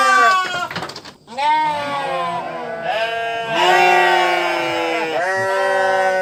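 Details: Sheep bleating in several long, wavering, nasal calls with strong harmonics and a trembling pitch, one short break of near quiet between the first and second calls, and later bleats running close together.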